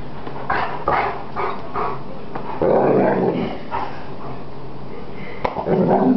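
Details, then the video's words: Attacking Greater Swiss Mountain Dog giving several gruff barks in the first seconds, then a longer throaty growling stretch, with a sharp click near the end and human voices faintly mixed in. "GSMD - Greater Swiss Mountain Dog Attack"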